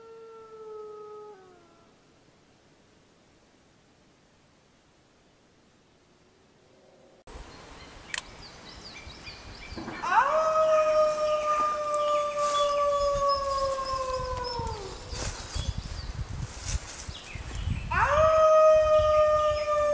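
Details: Grey wolves howling in the wild in a jungle under a full moon: a faint falling howl fades to near silence, then long, steady, slightly falling howls rise over rustling background noise, one after another, with a new howl starting near the end.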